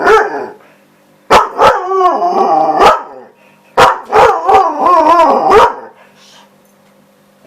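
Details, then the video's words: A female husky who wants her ball gives two bursts of loud, wavering yowls and barks, each opening with sharp yips. "husky dog misty making some noise"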